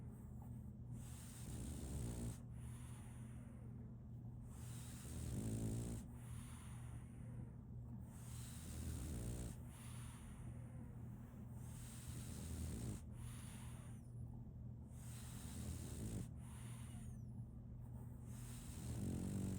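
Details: French Bulldog named Solaimy, a female puppy, snoring while asleep: low rumbling snores repeating about every two to three seconds, each with a rasping breath, under a steady low background hum.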